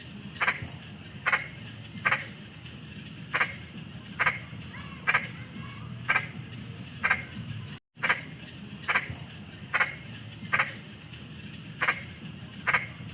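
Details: Frog calls come as short, sharp croaks repeated roughly every second, layered over a persistent shrill drone and low rumble, with one momentary dropout midway.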